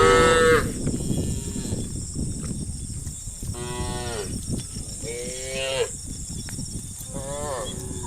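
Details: Tame farm cattle, dozens walking in single file to the livestock pen in the evening. One moo is cut off at the start, then three moderate, rising-and-falling moos from the herd follow a few seconds apart. A constant high-pitched hiss runs underneath.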